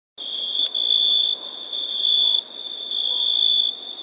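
A cricket gives a steady, high, shrill trill that swells and fades in long pulses.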